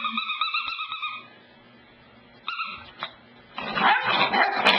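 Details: Cassidy, a pet dog, on the couch: a drawn-out, high, steady whine for about a second, then a brief squeak and a tap, ending in loud rustling and scuffling.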